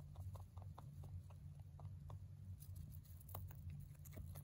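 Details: Male mini rabbit chewing hay indoors: a steady patter of small dry crunches, several bites per second, slightly stronger toward the end, over a persistent low hum.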